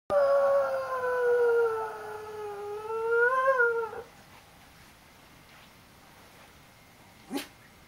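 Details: Pet dog howling like a wolf: a long harmonic howl sliding slowly down then rising and breaking off after about four seconds, followed by near silence and one faint brief click.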